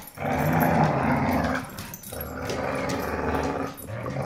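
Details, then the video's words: Dogs growling while fighting over a rope toy: a continuous, low, rumbling growl that swells over the first second and a half, dips briefly, then carries on steadily with small breaks to the end. "Vicious Dogs Fighting Over Rope Toy"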